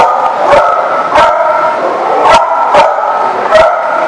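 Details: On December 22, 2018, a group of dogs barks nonstop. Five strong, clipped barks ring out at irregular intervals over a constant wash of yips and barks from others.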